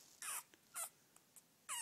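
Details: Smallest puppy of Tebow's litter, after breakfast, giving three short, high, squeaky yelps spread over under two seconds, with faint softer squeaks between them in a quiet room.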